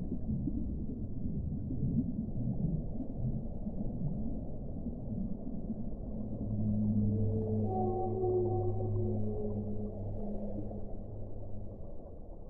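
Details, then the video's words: Whale song opening on muffled low rumbling, then stacked sustained moaning tones appear, several pitches held together for a few seconds, over continuous low-frequency underwater noise. "1 ora di suono delle balene"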